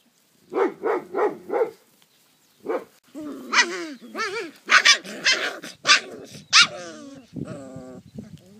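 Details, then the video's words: Maremma Sheepdog puppies: four quick barks in a row, a pause, one more bark, then a run of high, wavering whines and yelping whimpers. "Cuccioli Maremmano"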